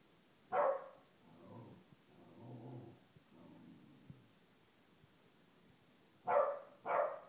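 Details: A 1-year-old female Corgi gives sharp, loud barks, with softer whines and grumbling sounds between, as she tries to get her blind brother to play.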